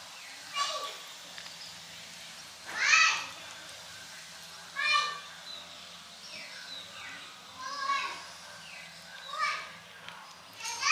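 High, thin kitten mews repeat every couple of seconds as the kittens call to be fed.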